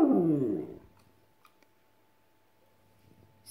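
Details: West Highland White Terrier echoing Cristiano Ronaldo's 'siuuu' celebration: a short, loud howl sliding downward for under a second, then near silence with faint clicks.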